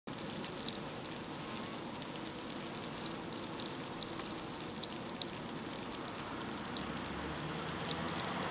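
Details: Western honey bees fanning at a hive entrance in late evening make a dense, steady crackling hiss with scattered sharp ticks, caused by wings clipping neighbouring bees' bodies or beating wings.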